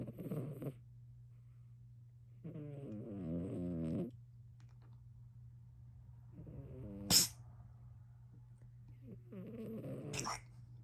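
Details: Domestic cat snoring loudly on a lazy day: four rasping, harmonic-rich snore breaths of varying length, one with a sharp sneeze-like click, over a steady low hum.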